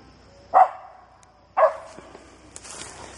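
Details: Atomic Torch, a dog nearly 8 months old, treeing a South Georgia gray squirrel he winded from about 40 yards. Two sharp, loud barks about a second apart, each with a quick fading tail, over a quiet outdoor background with a faint hiss near the end.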